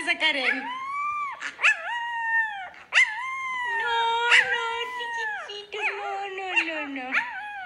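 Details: Morning vocalizing from a Siberian Husky: long, sustained, wavering howl-whines with sliding pitch, broken by brief sharp bursts. The notes run nearly continuously for several seconds, with a human voice faintly mixed in.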